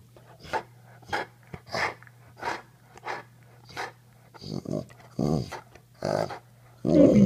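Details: Pitbull Mastiff "talking", meant as saying "I love you": a run of breathy, panting puffs about every half second, then longer throaty moaning, voiced syllables toward the end, loudest at the close, indoors.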